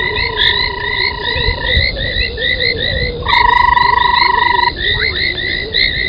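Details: Night chorus of frogs at a foam nest by a dam in South Africa's Sabi Sand, 03:40, January: sustained level whistles starting and stopping, with many short upslurred chirps repeated quickly and a faint lower warble beneath.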